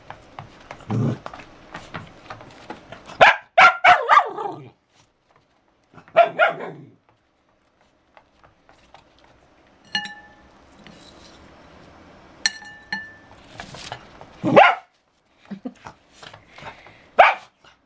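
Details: A dancing dog indoors gives scattered loud barks in separate bursts, a double bark near the start and later single sharp barks, with long quiet gaps between them and brief tonal clicks.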